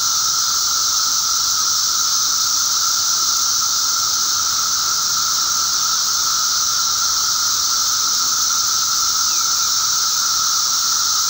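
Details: Emerging Magicicada periodical cicadas in great numbers, May 19, 2011; their combined calls form a flat, continuous shrill drone with a persistent lower hum, unchanging from start to finish.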